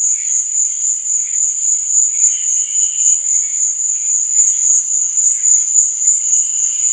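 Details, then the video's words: Cricket noise on a night recording meant for relaxation: an even, piercing high buzz-trill holds steady for the whole stretch, while soft lower wisps of sound come and go. "Cricket Sound| Sleep and Relaxation Nature Sound| Stars &Moon| Cricket Noise| Night Sound"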